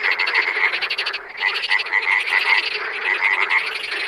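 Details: Wild frogs in full chorus, many rapid rattling croaks layered together, with one brief dip in volume before the calling swells back.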